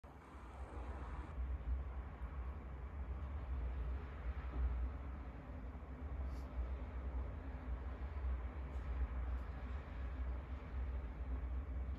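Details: Low steady rumble like a passing train or vehicle, with no animal sound heard.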